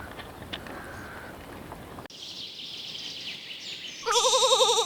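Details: Little lambs graze in a cool green forest, with high birdsong and a soft background hiss before a single sharp, quavering bleat cuts in at the close.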